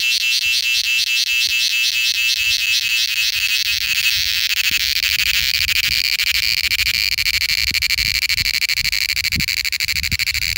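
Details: Cicada in India giving its mating call, an unbroken shrill, fast-pulsed buzz that holds at a constant intensity throughout, over quiet low background rumble.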